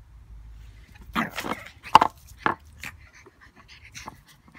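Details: A 10-week-old pug puppy play-fighting with a fake pug: a few short, rough growling and panting bursts, one sharp yap near the middle, then softer snuffles.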